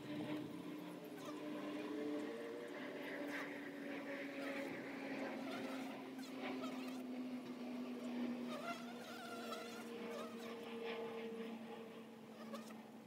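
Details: Dense humming of honey bees around their hive entrance, several steady whining flight tones overlapping and slowly shifting pitch as bees hover and come and go, over a constant background drone.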